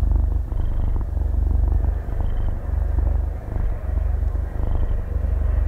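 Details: Half-year-old kitten purring while asleep, recorded binaurally at very close range with no talking or music; a deep, steady rumbling purr swells and dips with each breath, roughly every second and a half.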